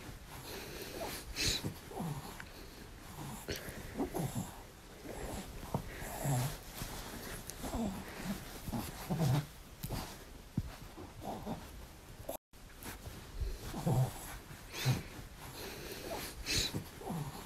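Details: A female French Bulldog plays while lying down, making repeated low snorts and wheezy grunts every second or two, with soft indoor background noise and a short gap near the end.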